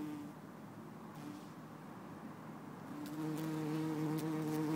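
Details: Bumblebee, possibly Bombus hortorum or Bombus terrestris, recorded in Lisbon on 4 December 2011. Brief faint hums early on, then a steady, louder droning buzz rich in harmonics builds over the last two seconds, with a few faint clicks.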